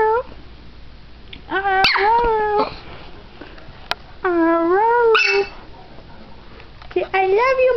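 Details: Pet dog being taught to say "I love you" produces drawn-out, wavering howl-like vocal phrases with rising and falling pitch, three bursts separated by pauses, with a person speaking Spanish nearby.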